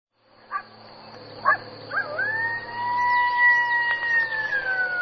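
Brief sharp yelps open the sequence, each separated by about a second. A drawn-out, clear howl follows and holds steady before falling slightly as it fades, over a faint constant high hiss.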